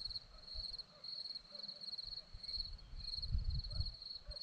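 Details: Hillside crickets in Zorlesti, Romania: a continuous high, rapidly pulsed chirping trill, swelling slightly in short bursts, over a low rumbling like wind.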